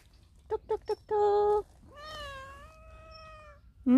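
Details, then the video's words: Affectionate stray cat at a workplace, belly up and begging to be petted; three quick short mews, then a sustained flat cry and a long, slightly falling meow, with a voice cutting in at the end. "길냥이가 사람들이 그냥 지나칠수 없게 합니다"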